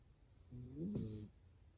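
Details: Dachshund Hana-chan fast asleep, snoring like an old man: a single low, rough snore lasting under a second, with a buzzing tone that rises slightly then falls, over a quiet room.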